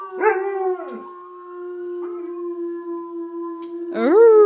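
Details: Alaskan Malamute trying to howl with help from played malamute howling recordings: a short upward-bending cry, a long even held howl underneath, and a fresh howl rising sharply at the end.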